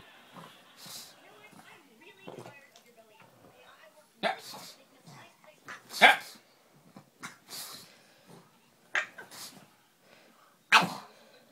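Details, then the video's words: Pet dog barking and making strange noises at a piece of paper; scattered sharp barks and strained, rough vocal noises at irregular intervals, with quiet human murmuring and laughter in between. "barking and making strange noises at a piece of paper"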